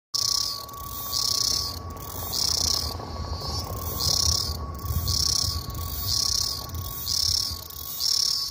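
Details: A male cicada sings in high, buzzy pulses that swell and fade about once a second, a song heard in the warm season.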